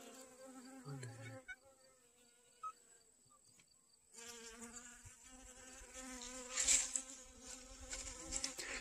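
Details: Honey bees collecting pollen from sunflowers in a garden, recorded August 25, 2021; a low buzz hums quietly for four seconds, then swells louder and fuller as more bees fly close, with a brief rustle near the end.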